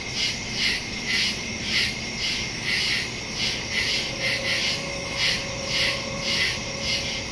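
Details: Nighttime crickets in the woods, September 2, 2023, Shure MV88+ stereo mic on a Samsung phone; high chirps repeated nearly twice per second in a regular beat, with a faint steady low tone underneath.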